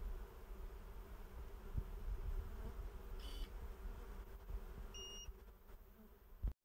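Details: Honey bees at a beehive during honey harvesting, a low steady buzzing hum over a rumbling low background, with a faint brief high beep near the end.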